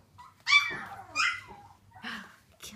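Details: Three-week-old Samoyed puppy giving high, squeaky whines and yelps, a loud first cry followed by two shorter, softer whimpers and a faint last squeak, indoors.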